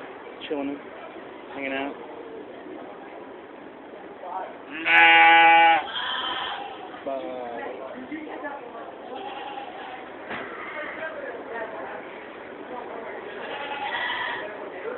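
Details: Goats housed in fair stables at the 2015 Georgetown, Illinois fair: one loud, strained bleat lasting under a second stands out amid steady human chatter and several softer wavering bleats.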